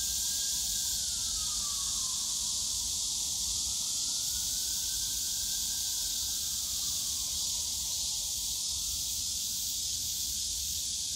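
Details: Summer cicada chorus in the bamboo grove at Yongsan Family Park, a loud unbroken high-pitched buzz, while a faint wavering tone slides down and up again through the middle and low city hum murmurs below.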